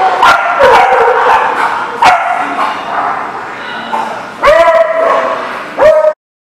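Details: Several dogs barking at a dog kennel or boarding lot, recorded 10 December 2018; a busy mix of overlapping barks, then two loud, clear, harmonic barks stand out near the end before the sound stops abruptly.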